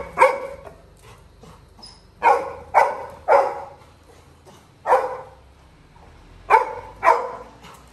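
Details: A Labrador Retriever puppy named Little John cries because his brother has left the house in the village. Sharp, ringing yelps come in uneven pairs and singles about a second apart, with quiet gaps between bursts.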